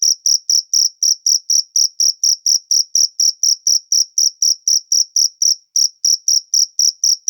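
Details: Loud, close cricket in natural surroundings, giving a continuous series of piercing high chirps, closely spaced and regular, with one tiny break partway through.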